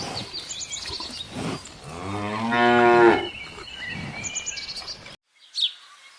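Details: A cow grazing in a countryside field lets out one long, rising and falling harmonic moo lasting about a second and a half, with birds chirping throughout before the sound cuts to near silence.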